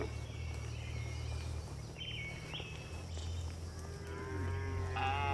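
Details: Tame farm cows during afternoon herding toward the barn. A steady low droning hum dominates, with a short harmonic moo and a faint higher call near the end.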